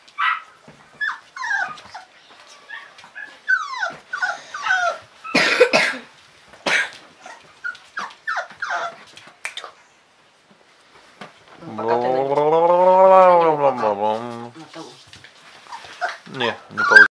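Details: Bullmastiff vocalising: a run of short barks, yips and whimpers with rising and falling whines, a brief pause, then a long wavering howl of about three seconds that rises and falls, followed by more sharp barks.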